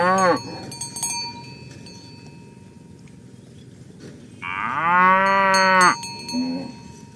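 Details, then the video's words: Village cows driven toward their pen in the morning: a short low moo, quiet cowbell clinks and rumble, then a higher, strained bellow lasting about a second and a half, followed by a brief low grunt. "Asmr Sapi Moo | Suara Moo"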